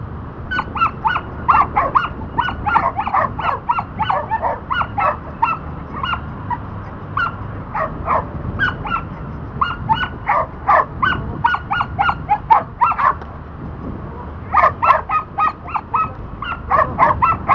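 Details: Dante, a Border Collie in disc dog training for the back vault, barks excitedly and almost without pause, dense volleys of short yelping barks crowding each other, easing briefly around the middle before a fresh rapid burst.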